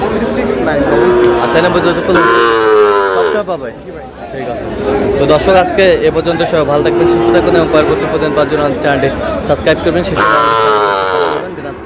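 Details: Sahiwal breed bull calves for sale at a market in Brahmanbaria, Bangladesh, 31 March: loud, rich harmonic moos early on and again near the end, with a few quieter lowing calls between, over busy market chatter.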